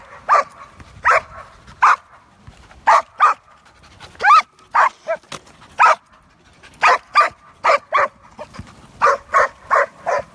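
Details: A skateboarding giant schnauzer barks about twenty times in ten seconds: short, sharp barks, often in pairs or quick runs of three with brief pauses between. Little else is heard besides faint background noise.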